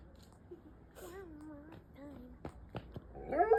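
Mexican wolves give short, wavering howls that slide gently downward, ending in a louder rising cry.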